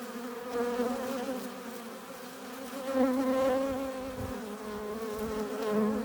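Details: Honey bees at a hive entrance bringing in pollen and nectar, their buzzing a continuous drone whose pitch wavers and bends as individual bees fly near, louder around the middle.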